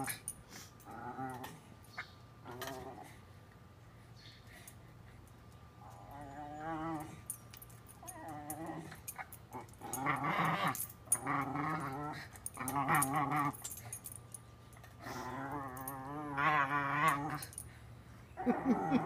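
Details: Shiloh the Welsh Terrier, at play with a water bowl, gives a string of warbling, harmonic growls in bursts, growing louder and more frequent toward the end, with sloshing and clinks in between.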